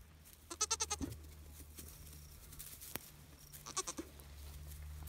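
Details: Two-day-old Nigerian Dwarf goat kids, a trio from the doe Charlotte at Deep Canyon Farm, giving two high, shaky, wavering bleats about three seconds apart, each broken into rapid pulses, with low hum and light handling noises between.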